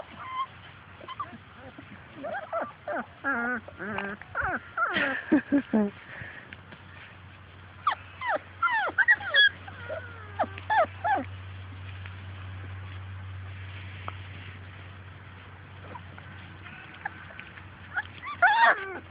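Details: Labrador Retriever puppies from Grace and Sam's litter playing outdoors and chasing their mother, giving bursts of short, high, wavering whines and yips that cluster early and late, with a quiet gap and steady low hum between.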